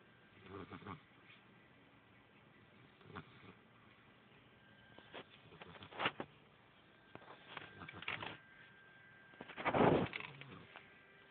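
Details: A little puppy asleep, recorded on an Android phone. Breathy, rasping snores come in short bursts about every two to three seconds, the final one the loudest, over a faint steady hum.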